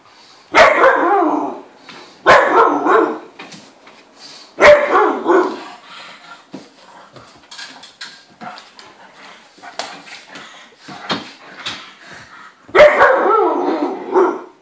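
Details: Dogs playing indoors, an Irish wolfhound in heat with a pug and a Landseer pup: four loud bursts of barking, at about 0.6, 2.3, 4.7 and 12.8 seconds, with softer yips and scuffling sounds between them.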